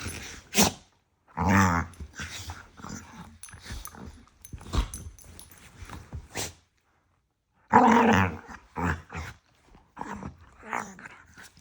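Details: Dog couple squabbling nose-to-nose indoors, all bark and playful love bites; choppy growling yaps and snorts come in clusters, a silent gap near seven seconds, then a loud renewed outburst of grumbling yaps.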